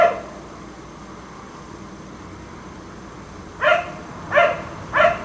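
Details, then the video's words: A black Labrador left out in a neighbour's yard until 1am barks in the dark; after a long stretch of low background hiss, three sharp barks come in quick succession near the end. "Dog barking until 1am"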